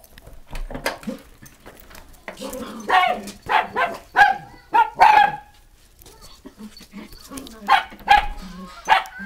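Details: Kaninchen Dachshunds Pochi and Mii, pets at home during a pet sitter's visit in Yaizu, Shizuoka, Japan, 7 October 2017. Sharp, high yipping barks come in clusters around the middle and end, with quiet gaps and faint indoor sounds between them.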